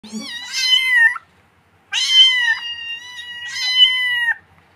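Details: Kitten giving three drawn-out, high, clear meows about a second long each, the later two held steady before dropping off at the end, separated by short silences in a quiet indoor setting.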